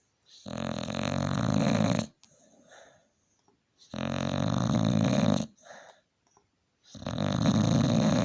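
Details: Loud snoring from a tired Staffordshire Bull Terrier after a hard day: three long, harsh, rumbling snores of about one and a half seconds, roughly every three seconds, with quiet wheezy exhales between.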